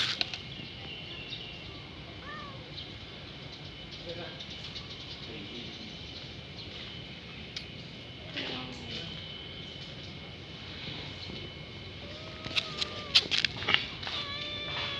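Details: A hungry kitten crying nonstop, begging for food: scattered short meows early on, then a cluster of louder, drawn-out, arching meows near the end, over steady background hum and occasional clatter.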